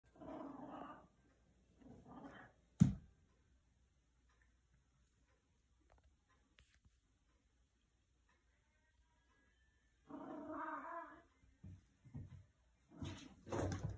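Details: A chatty Maine Coon cat, stretching on a wall, gives soft, rolling trills in short bursts separated by quiet pauses.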